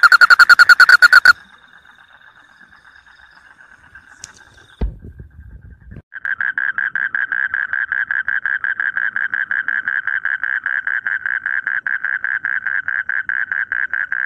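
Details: Frogs calling in rice fields in Indonesia, praised as melodious singing: a dense pulsed croaking with a brief pause, a clatter of other noise, then a long steady train of rapid pulses repeating about two and a half times per second.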